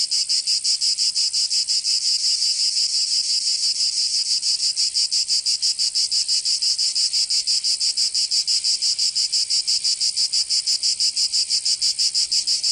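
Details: Provençal cicadas in summer, southern France, droning in a bright, high, rasping buzz that pulses regularly about three times per second throughout, unbroken and steady in loudness.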